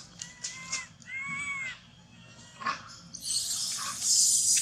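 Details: Baby monkey that has lost its mother, shaking and hugging a tree, gives two arched, whistled cries, each rising then falling and under a second long, followed by a burst of loud hissing noise.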